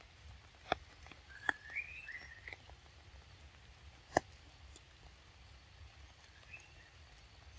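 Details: Baby monkey Lexi, chilled and shivering in the rain, makes soft thin rising squeals, a couple of wavering cries early and one brief squeak later, broken by sharp knocking taps over a quiet low hum.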